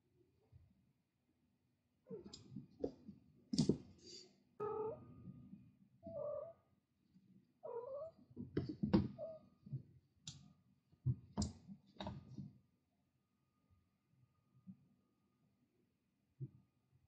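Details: Indoor sounds from a mother cat raising her kittens: sharp clicks and scuffling mixed with several short, tonal, mid-pitched meows and mews in the first twelve seconds, then mostly quiet with a few faint taps.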